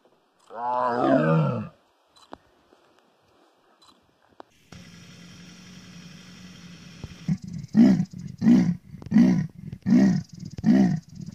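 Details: Big cat roaring: one long, deep, rasping roar, then a low steady hum, followed by a series of five or six short, throaty grunting roars, one about every two-thirds of a second.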